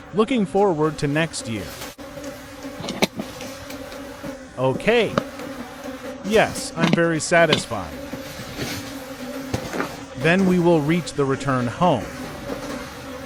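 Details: Buzzing of wild bees around dark honeycombs at a final forest honey harvest of the season, with a continuous hum and frequent loud, swerving fly-by buzzes, plus a few sharp knocks.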